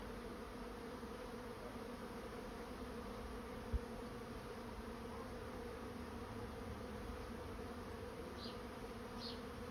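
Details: Honey bees swarming into a trap produce an unbroken, level, deep hum with stacked tones, joined by a single faint tap and a couple of high ticks near the end.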